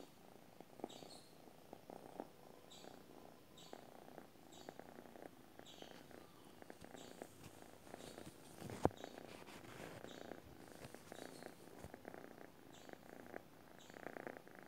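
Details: A sleeping domestic cat purrs steadily, a soft rumbling drone pulsing with each breath.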